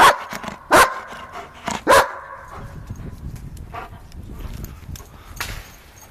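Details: Giant Schnauzer named Vito barking during play: three loud, sharp barks within the first two seconds, then quieter rustling and faint scuffling noises in a room.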